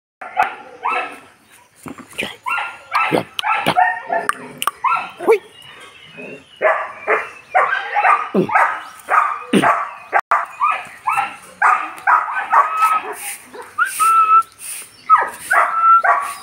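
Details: Dogo Argentino dogs of import lineage, male and female, giving a dense run of sharp, overlapping barks and yips, with bursts every fraction of a second and a few higher whining notes near the end.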